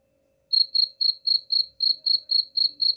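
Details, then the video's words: After half a second of quiet, a cricket, played to scare off rats, begins a run of ten high, ringing pulses at a brisk, regular pace of about four per second. "suara jangkrik"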